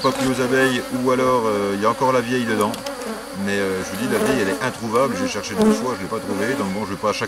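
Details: Honey bees in a drone-laying hive under rescue, 3 May 2021, as a brood frame with nurse bees from a neighbouring, rather defensive colony is introduced; a dense, droning buzz of many bees with wavering, rising and falling pitch throughout.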